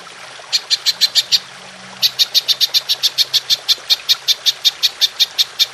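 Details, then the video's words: Golden grasshopper (belalang emas) producing 'tembakan' shots for songbird masteran: six quick high rasping pulses, a pause of under a second, then about twenty evenly spaced ticks in a longer run. "Belalang Emas Nembak Panjang"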